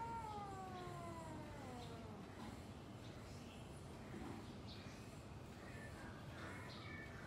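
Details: Domestic cat yowl ahead of a fight between two cats: a single long descending wail fading over about two seconds, then mostly low background noise with faint scattered sounds.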